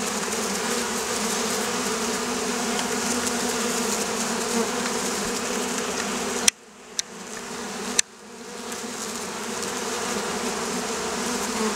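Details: Oriental hornets (Vespa orientalis) in the Campania plain, Italy, a wasp troubling local beekeepers: a steady, droning buzz with low hum bands, broken by a sudden near-silent gap with sharp clicks midway before the buzzing resumes.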